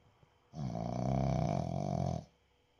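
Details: A Boston Terrier sleeping lets out one long, loud, rattling snore lasting nearly two seconds.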